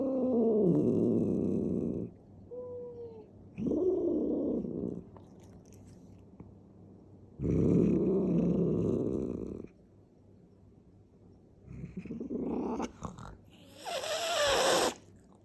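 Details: Cat during a fight, giving long low growling yowls in drawn-out bursts, with wavering moaning tones and a harsher rising cry near the end.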